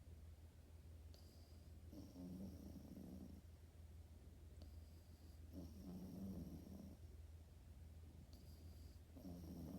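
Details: Sleeping French Bulldog puppy snores in three gentle, gurgling low breaths, roughly every three seconds, each lasting over a second, against a constant low hum.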